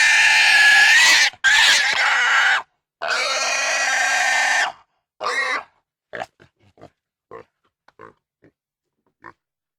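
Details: Intense pig squeals: three long, harsh, piercing screams fill the first five seconds, followed by one shorter squeal and a trail of faint, brief grunting clicks fading into silence.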